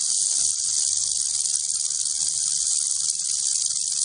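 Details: Unbroken rattlesnake rattle throughout, a dense, high, hissing buzz with an even loudness and no pauses.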